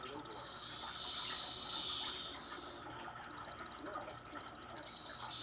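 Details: Captive periodical cicadas (Magicicada tredecassini), recorded from above their cage, chorus synchronously after hearing playback of their own calls, a shrill, hissing buzz that swells and then breaks into rapid pulses.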